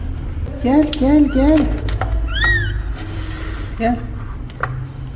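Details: Mother cat asking for help beside her newborn kittens: a run of three short, bent meows, a higher sharp cry, then a lone meow near four seconds, over low rumbling background and some speech.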